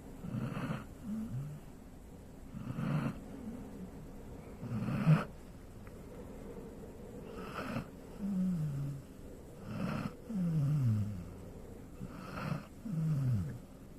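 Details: A sleeping Golden Retriever snoring indoors: low, rumbling breaths in a steady cycle, each snore a deep rasp with a falling, groaning tail, repeating roughly every two seconds with brief quiet gaps between.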